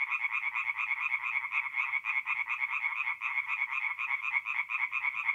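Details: Tree frogs singing by night at a North-East Italian forest pond in mid-April, a loud chorus of quick, pulsed croaks repeated in tight rhythmic bursts, several frogs calling together over near silence.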